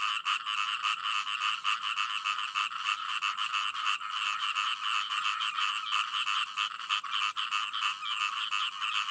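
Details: Many frogs croaking together, rapid harsh pulses packed about 200 per minute into a rattling, continuous chorus with slight swells in volume.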